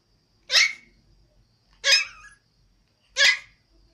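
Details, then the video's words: Toy Pomeranian kept as a pet in Kathmandu, Nepal, wanting to climb onto a bed, gives three short breathy huffing yips about every 1.3 seconds in a quiet room. "Pomeranian wants to climb bed"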